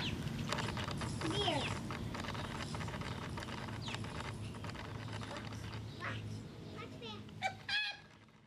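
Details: Female Sphynx cat, a naturally hairless pet, singing at wild birds in a back yard; a bright, rising-and-falling chirping meow sounds early on, then more short harmonic chirps near the end, over a steady low background rumble.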